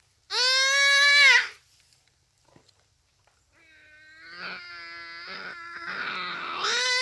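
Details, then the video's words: Common duiker caught by a cheetah, Phinda Private Game Reserve, rainy afternoon: one loud nasal bleat, a short quiet gap, then a softer, wavering cry that rises and swells in strength. "Buck Cries for Help from Cheetah"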